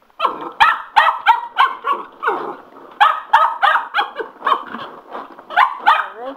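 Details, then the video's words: Cocker Spaniel, a male pet dog, worked up and excited by a spin mop, giving rapid, uneven high yips and barks, about three per second, with a person's voice in the background. "My Cocker Spaniel loves The Spin Mop"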